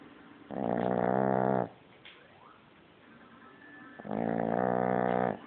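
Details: Baby French Bulldog asleep, snoring very loud: two long rough buzzing inhalation snores about three seconds apart, with soft breathing in the gaps.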